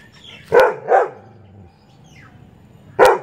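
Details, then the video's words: Labrador Retriever gives three loud, harsh barks, two close together and one after a pause, annoyed by chirping birds. "Labrador dog barking hardcore"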